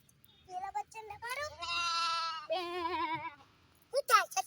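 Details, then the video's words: Goats on a farm with mini goats and baby kids: one long, quavering bleat holding steady for nearly two seconds, then a shorter one, after brief talk and before sharp high noises. "mini goats and big goat baby"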